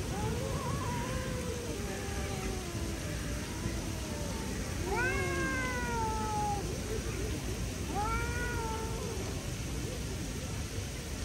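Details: Two stray street cats in a standoff, one trying to scare the other away; long drawn-out wavering yowls, rising and falling, with a louder harsh wail midway and another near the end, over steady background noise.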